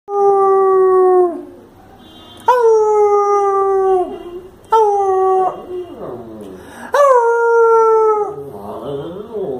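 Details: Lhasa Apso dog howling in the evening as it answers its owner's coaxing to speak; three long, steady, slightly falling tonal howls about two seconds each, with rich harmonics, separated by pauses, ending in a softer wavering whine.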